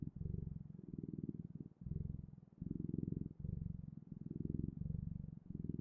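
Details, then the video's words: Cat purring close up indoors: a deep, rumbling, steady vibration in alternating breaths, each pulse lasting about half a second to a second with short gaps between inhale and exhale, no other sounds. "Purring Clouds: The Best, Ultimate, and Magical Sounds of Cat's Purring"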